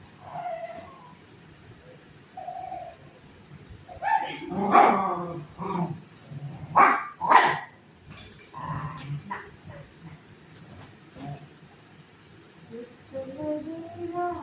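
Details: Golden retriever dog playing with its mother figure at home, giving a cluster of sharp barks and yips in the middle stretch, with soft whimper-like tones and quiet human speech around them.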